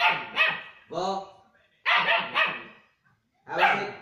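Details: German Shepherd puppy giving short, sharp barks and yelps in four bursts over about four seconds, with a person's voice mixed in.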